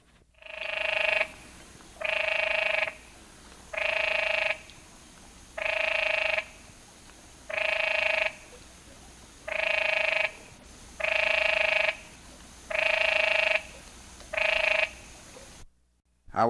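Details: A Canyon Treefrog (Hyla arenicolor) of the Chiricahua Mountains, Arizona, gives its mating call, loud nasal bursts about every one and a half seconds, somewhat like the Eastern great tree frog's but distinct.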